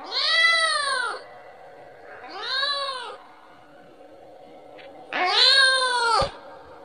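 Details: Kitten summoning its mother for milk with three clear, bowed meows, the last one loudest and harshest, separated by quiet pauses with a faint hum.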